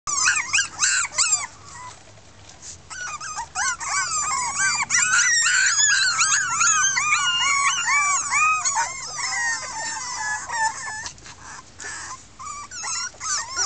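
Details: A litter of six red female Miniature Pinscher puppies at Keltic Kennels, 2013, voicing discontent: a dense chorus of overlapping high, arched whines and yelps, many pups calling at once with hardly a pause throughout.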